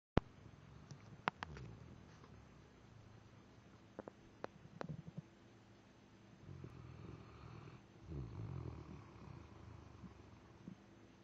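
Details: Daisy the dog, worn out after a long weekend, sleeps with low rumbling snores; two longer, breathy snore rumbles come near the end, after scattered sharp clicks and taps earlier on.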